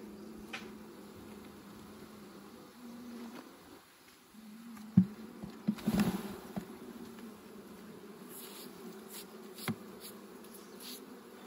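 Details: Bees at a honey harvest give a steady low hum that fades near the four-second mark, then resumes. Sharp knocks and clatter from handling punctuate the buzz around five to seven seconds.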